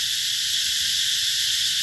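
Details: Cicadas calling in summer at Mỹ Luông, Chợ Mới district, An Giang province, in the Mekong Delta among riverside orchards: a dense, steady, high-pitched shrill drone with no pauses, filling the upper range throughout.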